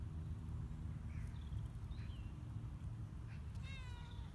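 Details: Casper the cat, out on his first careful walks on a leash outdoors as the weather improves, gives one short harmonic meow near the end. Scattered bird chirps sound above a steady low outdoor rumble.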